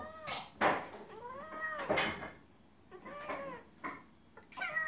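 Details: Female cat in heat meowing to a male outside, mate calling: several long, bending meows, some rising then dropping, mixed with sharp knocks and rustling from a small room.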